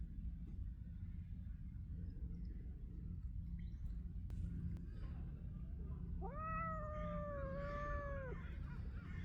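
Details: Gray-furred stray cat on Cat Island, reunited with a visitor after months; steady low rumbling purr throughout, then a drawn-out meow near the end.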